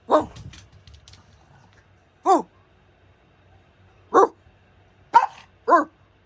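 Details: Pug barking five times in short, sharp bursts spaced a second or two apart, two of them close together near the end, with a quiet background.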